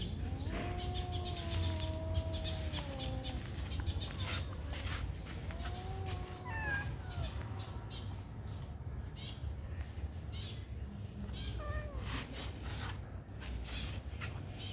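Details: Friendly kitten in a pagoda meowing repeatedly: long wavering cries in the first seconds, shorter rising-and-falling mews around the middle and another near the end, against constant low-pitched background hum.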